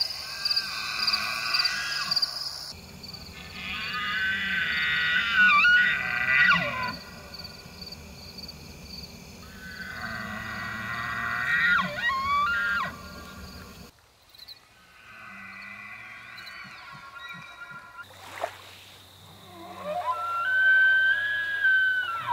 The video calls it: Elk Bugling During the Rut Season